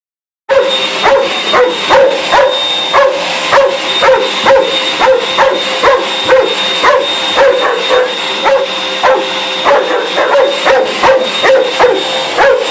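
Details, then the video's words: Pet dog going mad at a running vacuum cleaner, letting out rapid high yipping barks roughly twice a second without pause, over the steady whine and drone of the hoover indoors. "Dizzie going mad with the hoover"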